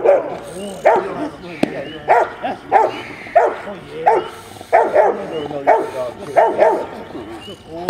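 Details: A 10.5-month-old Rottweiler puppy barks during a bitework training session on 15 April 2009. Sharp barks repeat steadily about every 0.6 seconds through the clip, with voices underneath.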